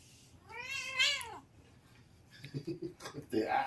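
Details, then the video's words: Two or more Siamese cats wrestling loudly; one long, wavering yowl swells and then drops away, followed by short scuffling thumps and a human voice, ending with another rising cat cry. "Noisy wrestling ng Siamese cats!"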